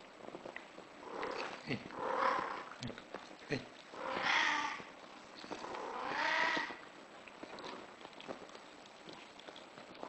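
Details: A British Shorthair cat in heat yowls three times, rising harmonic wails roughly every two seconds, the later two louder and higher, followed by quiet rustling and small knocks.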